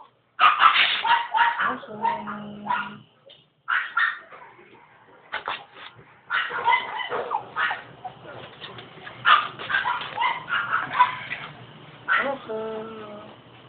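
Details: Stud Norwich Terrier during a night mating session, the third mating; bursts of whining and yelping with harmonic whimpers, some barks, pauses between bursts, and human voices at times.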